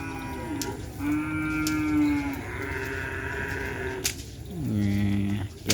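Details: Madura cattle at a kerapan sapi bull race held at Asemanis field for an anniversary event; steady low droning tones give way to a deep, falling lowing moo near the end, over background music and crowd chatter.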